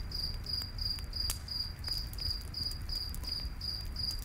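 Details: Evenly paced, high-pitched cricket chirps, nearly three per second, sound beside a crackling campfire in a forest at night, with a few louder pops and a low background murmur.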